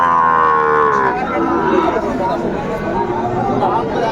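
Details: Bull calves of Sahiwal and Friesian breeds at a cattle market, bought by a Tangail farmer, Bangladesh, 2 May 2024; one harmonic moo lasting about a second, falling slightly at its end, then market chatter and crowd noise.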